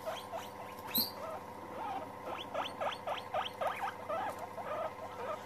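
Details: A group of guinea pigs getting together and meeting. Quick upward-sweeping squeaks follow one another rapidly, several per second, after one sharper, higher squeal near the start. Light patter of movement sits underneath.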